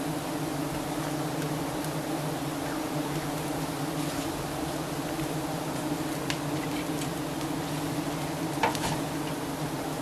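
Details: Giant honey bees at a nest high up, being harvested by honey hunters in Thailand; a dense, steady low drone of massed buzzing runs throughout, with scattered sharp clicks and brief taps over the hum.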